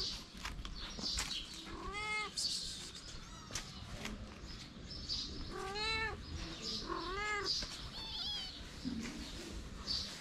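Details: Starving stray kittens near their mother mew repeatedly: about four or five high, bent, rising-falling cries spaced a second or two apart, with background rustling and light scuffling.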